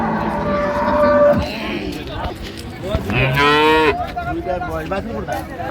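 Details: Improved-breed dairy cows with calves for sale at Ambari market, Dinajpur, Bangladesh, 28 September 2025: a long level moo early on and a strained, rising bellow near the middle, over busy crowd noise and talk.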